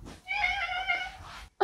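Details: A domestic cat indoors, given cat grass as a present, gives one drawn-out meow of about 1.2 seconds with strong stacked harmonics, steady then slightly falling, ending in a short burst of noise.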